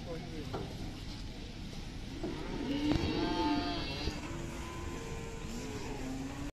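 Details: Large Simmental cattle being unloaded from a truck; a drawn-out low moo rises and holds near the middle, followed by a fainter lowing call, over steady vehicle and background rumble.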